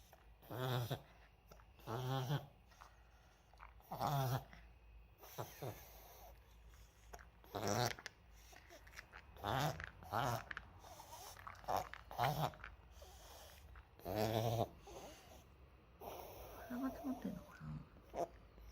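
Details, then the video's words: Moka, a Maltese dog, in a reverse-sneeze episode first feared to be a seizure and identified by a vet; such episodes often come at the change of seasons. Harsh, honking snorting bursts with a raspy, ridged tone, repeated about every one and a half to two seconds. "発作？ けいれん？逆くしゃみ？ マルチーズのモカ"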